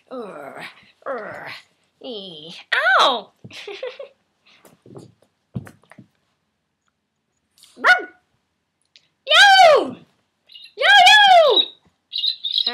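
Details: Hope, a playful rescue puppy, a Maltese Chihuahua mix taught to howl, gets overly excited indoors: short sharp barks and yelps first, then two drawn-out arching howls near the end, over a person's cheerful talk.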